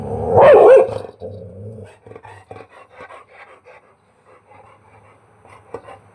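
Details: A Labrador Retriever named Snoopy barking at a cat sitting outside: one loud, harsh bark burst at the start, then a trail of softer growly huffs and short yaps fading over the next few seconds.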